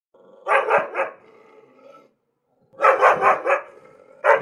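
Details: Angry dog barking: two quick runs of three harsh, loud barks separated by a short silence, then one more bark starting at the end; clean background with no other sounds.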